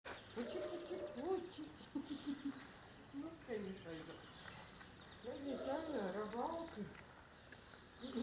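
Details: Dogo Canario puppies, five weeks old, from Bomba and Carus, give wavering, rising and falling whines in bursts, several overlapping, with quiet pauses between groups and faint high chirps in the background.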